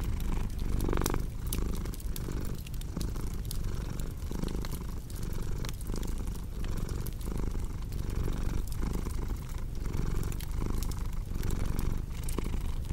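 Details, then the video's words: Low rumbling cat purr rises and falls in a regular rhythm across its length, the in-breath and out-breath phases alternating about every second, with fire crackle snapping throughout. "Purring Cat with Cozy Crackling Fireplace Sound"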